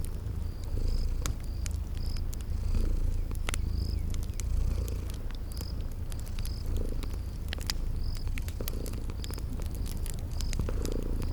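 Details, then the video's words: Cozy rumbling purr of sleeping kitties runs throughout, overlaid by snapping fire crackles and a cricket chirping at a regular pace, evoking a spring garden at night. "Sleeping Purring Kitties"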